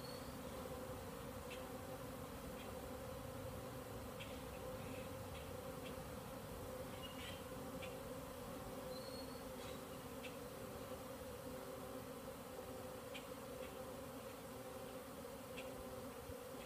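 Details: Bees from several hives out in the air together, possibly baby bees on orientation flights, settling about twenty minutes later; a thick steady buzz of many wings with occasional sharp clicks and a short high whistle.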